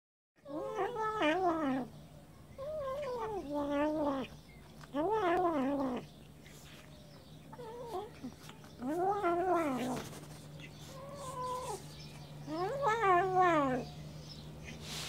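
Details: Jealous Siamese cats refusing to share their fish give low, wavering yowls, about six drawn-out moaning calls spaced a couple of seconds apart over a steady indoor hum.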